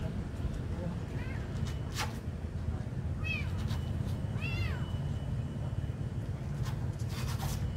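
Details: Kitten being given food, giving several short arched meows with bright harmonics, two clearer ones close together mid-clip, over a steady low rumble of traffic or engine noise and a few clicks.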